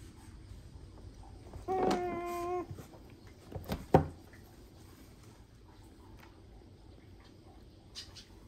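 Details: Baby Asian small-clawed otter Tororo complaining in a pool: a single steady, slightly wavering whine lasting under a second, then a few sharp knocks against a quiet background.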